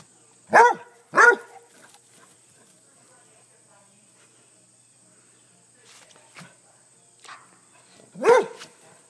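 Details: Two spunky Basset Hounds, aged 10 and 7, in the countryside of upstate New York, give deep, loud barks: two quick ones close together, then another after a pause.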